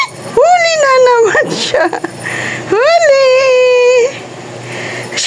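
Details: Two long drawn-out cat meows, each rising then holding level and falling slightly, with rich harmonics, the second about two and a half seconds after the first; faint background noise in a small room.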